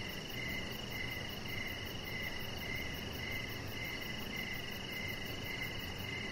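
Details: Evening crickets heard from a deck: clipped, evenly spaced chirps roughly twice a second, about a dozen in all, set against a continuous shrill insect hum and a faint higher pulsing trill.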